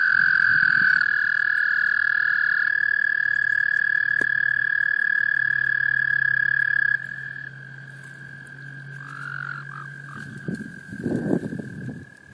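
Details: Male American toads calling in a small pond in Laurens County, South Carolina, USA, in March 2014 to call in females during breeding. Long, steady, high trills overlap at slightly different pitches for about seven seconds, one continuing more softly, with low splashing thumps.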